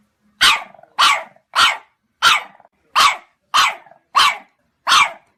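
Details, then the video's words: Dog barking in a steady series of eight sharp, loud barks about every 0.6 seconds, each a bright harsh burst, with brief low growly tails between some barks and a quiet background. "강아지 짖는 소리"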